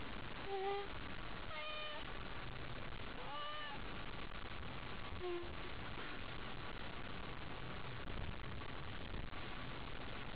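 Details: Haiko, a cat worked up over a toy, gives a few short harmonic meows near the start and middle, spaced a second or two apart, over a steady low hum.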